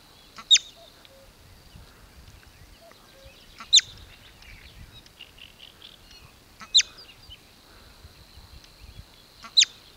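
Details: A marmot (bobak) near Velyka Shapkivka, Kupiansk district, Kharkiv region, Ukraine, gives sharp, piercing alarm whistles, one roughly every three seconds, signalling danger.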